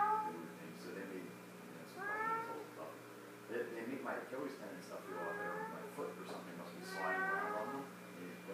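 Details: Domestic cat indoors in a small room, meowing several times while playing with and folding a sock toy; harmonic mewing calls, some rising then falling, spaced a second or two apart, with a low steady hum behind.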